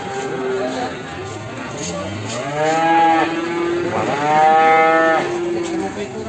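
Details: Morning recording of a Limousin calf from Ambarketawang, Sleman: a soft low lowing, then two loud, sustained moos in quick succession, strongly harmonic and steady in pitch, over background chatter.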